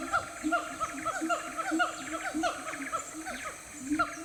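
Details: Sumatran siamangs deep in the Aceh forest give a rapid chorus of loud, hoarse barks and hoots that overlap one another.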